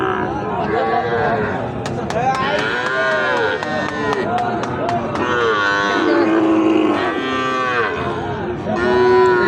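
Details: Cattle mooing at Ambari haat, a livestock market held Friday and Monday where Sahiwal bull calves for rearing are sold; several long, arched, harmonic lowing calls overlap above a steady crowd murmur and bargaining voices.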